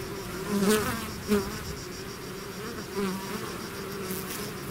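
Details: Bees swarming out of their hive give a continuous humming drone, broken by several individual bees zooming close at about 0.7, 1.3 and 3 seconds.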